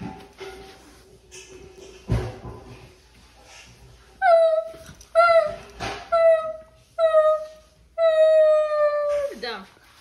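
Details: Basset Hound giving short, clear howling calls roughly once a second, ending in a long, steady held note that drops at the end, over faint background music in a small room.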